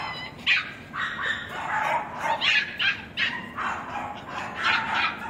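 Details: Male West Highland White Terrier in a kennel, recorded 21 April: a short run of separate, shrill yapping barks, roughly two each second, some rising into thin yips.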